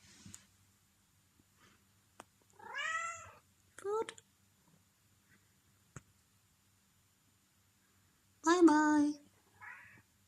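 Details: Hungry pet cat Zelda asking for food indoors: three separate meows, the first long and arching, the second shorter, the third loud and harmonic-rich, with clicks and a soft human voice between them in a quiet room.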